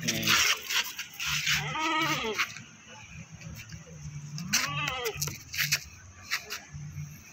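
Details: Goat taken to the Pakis livestock market, Malang, bleating twice several seconds apart, each call a shaky, arched cry. Loud clattering, chatter and a droning low hum fill the busy market.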